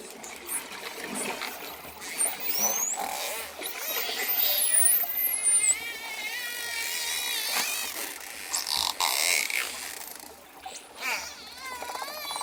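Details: Dolphins in a relaxation mix of natural dolphin sounds with ocean waves: high whistles that rise and fall, some wavering, over rapid click trains and buzzy pulsed bursts, with a steady wash of background noise.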